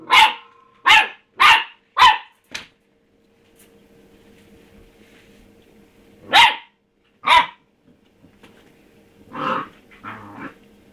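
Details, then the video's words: Young pet dog Rusty barks at his empty food bowl: four quick sharp barks, a quiet gap, then two more and some softer muffled sounds near the end over a steady low hum. "rusty barking at his bowl"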